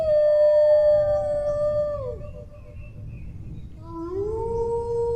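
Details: Dog howl held steady then sliding downward, a short quiet gap, then a new howl swooping upward into a sustained tone, over a faint low background rumble.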